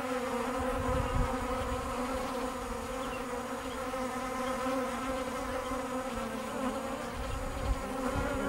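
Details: A beekeeper's bees in a continuous deep humming drone, rich in overtones, steady and unbroken, with faint low rumbling thumps beneath.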